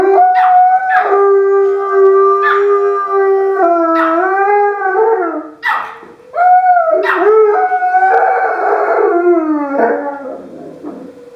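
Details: Alaskan Malamute Oso and Chihuahua Princess join the weekly noon siren with a chorus of howls: sustained, sliding tones broken by short higher yips and breaks, voices overlapping and fading toward the end.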